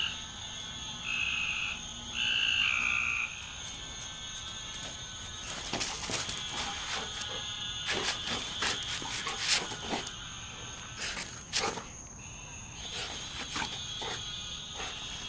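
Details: Frog calls: a few short, nasal, harmonic notes in the first seconds, then a run of rapid, irregular clicking croaks over a steady high-pitched whine of background callers.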